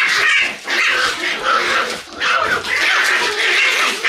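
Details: Morning in a Shiba Inu puppy room on November 11: a loud, nearly continuous chorus of high yelps and whining cries, rising and falling in waves about every second.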